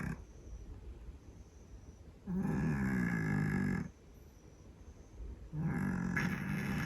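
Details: A Scottish Fold cat sleeps and snores hard. Two long, coarse, low rumbling snores of about one and a half seconds each are separated by a quiet stretch, with faint background hiss.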